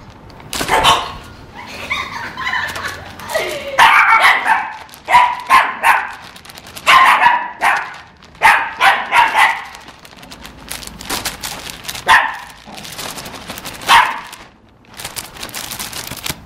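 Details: Shih Tzu puppies scared by toilet paper, barking and yipping in excited bursts, sharp high barks tumbling over each other with brief pauses, some overlapping voices.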